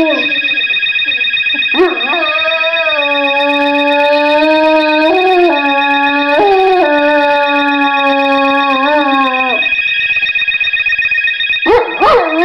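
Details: Pet male dog howling at home along with a telephone tone, prompted by his owner; long sustained howls with wavering pitch, each lasting several seconds, over a constant steady electronic tone.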